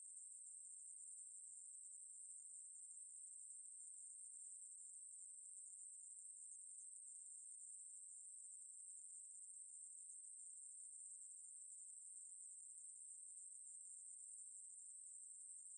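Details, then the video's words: Continuous high-pitched buzzing of a Ruspolia katydid, National Institute of Biological Resources recording from 2020, running without pause or change in pitch for about sixteen seconds in an otherwise quiet background. "매부리, 여러번 듣기, 곤충소리"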